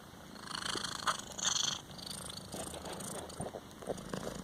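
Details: A kitten drifting between snoring and purring, a continuous soft rumbling purr with rhythmic breathing pulses, a louder raspy stretch near the middle, and a thin steady background hum.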